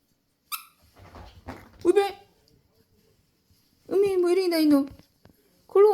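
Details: Maltese dog named Jjanggu indoors, being scolded for jumping off instead of using the stairs: a short squeak, then a long wavering whine sliding downward, and another whine starting at the end, with a woman talking between.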